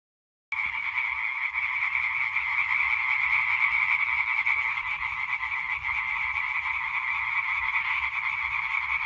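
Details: European tree frogs in a singing chorus recorded 20 May 2023: after half a second of silence, a dense, continuous wall of rapid, overlapping nasal croaks from many males, steady throughout with faint low rumble beneath.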